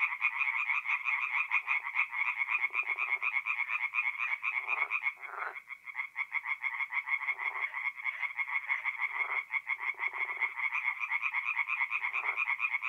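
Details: Night chorus of tree frogs at a forest pond in North-East Italy, mid-April: fast repeated grating croaks overlapping into a continuous rattle, with deeper buzzy bursts surfacing now and then throughout.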